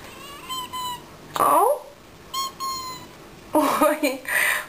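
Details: Benny, a talkative house cat, answers in short, clear meows, each with a steady tone, spaced a couple of seconds apart, while a woman speaks Russian to him in a small room between the calls.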